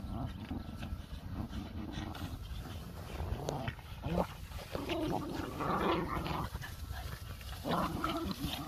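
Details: Four domestic Boston Terriers at play, puppies with an older dog, produce rumbling play growls and snarly bursts, intensifying toward the end, with rustling movement and low background noise throughout.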